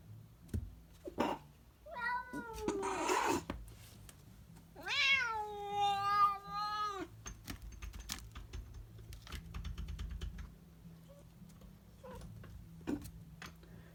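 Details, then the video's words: Domestic cat indoors producing weird vocalizations: a short rising chirp, a rough noisy burst, then a long wavering harmonic meow lasting about two seconds, with clicks and tapping like typing in the background. "Weird cat noises"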